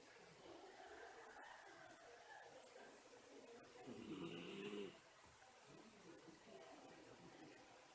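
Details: A single wheezy, whistled breath from a dozing Miniature Schnauzer during an afternoon nap, rising out of soft indoor background hiss about halfway through and fading quickly.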